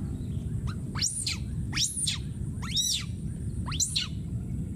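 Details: Distressed wild monkey baby keeps screaming for his friend: four loud, high, arching screeches about one second apart, each swooping up and back down, over a low continuous rumble.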